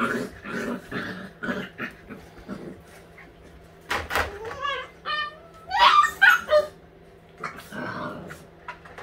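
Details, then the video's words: White husky puppies at eight weeks old playing together; short yips, whines and squeaky whimpers in bursts, one rising and falling whine near the middle, with soft scuffling and faint voices. "ALL white huskies puppies- week 8 playtime"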